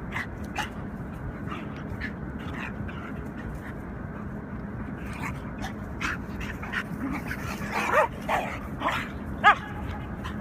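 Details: Four-year-old German Shorthaired Pointer playing with its best friend, a coyote hybrid dog. Scattered short yips and whiny squeals, thickening in the last few seconds, over a constant low rumbling hum and soft thumps of play.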